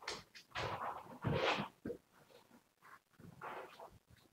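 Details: Siberian Husky named Yanika, recorded live indoors on 07.02.2019, giving a series of breathy, broadband vocal bursts, loudest in a rising-falling outburst midway, followed by quieter grumbling sounds.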